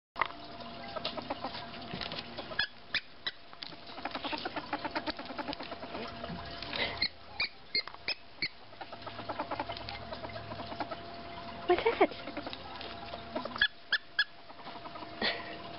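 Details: Female pet ferret excited about her toys, chattering in quick bursts of dry clucking clicks, repeated irregularly throughout with short pauses, over a faint steady background hum.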